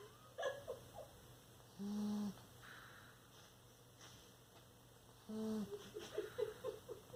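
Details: Bulldog asleep, letting out two brief droning snores several seconds apart, separated by soft rustles and small clicking sounds in a quiet room.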